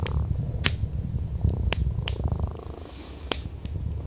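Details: A domestic cat, an orange tabby sleeping on a soft wool rug by a fireplace, purrs in a steady low rumble while the fire crackles with sharp pops.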